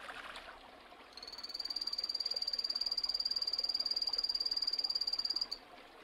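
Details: Phantasmal poison frog (Epipedobates anthonyi), a poison dart frog: a rapid, even trill of high, buzzy pulses on one steady pitch. It lasts about four seconds and starts and stops abruptly over a faint background hiss.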